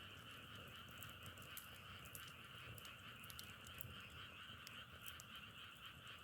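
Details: Continuous frog chorus, many voices blending into a level, buzzing drone with two stacked tones, while sharp snapping crackles resembling burning firewood break through at intervals.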